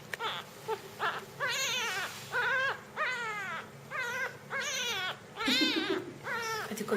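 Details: Jungle cat kitten, Felis chaus, during feeding; a steady series of short, arched, nasal wailing cries roughly one per second, each rising then falling in pitch, with a low hum underneath throughout.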